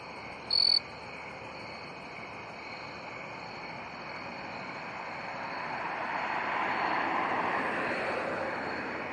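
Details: Jumping bush cricket, a male found in early September among crabapple trees at Friendly Village home park, gives one brief bright high-pitched chirp near the start, then only a faint echo-like tone amid rising rushing background noise.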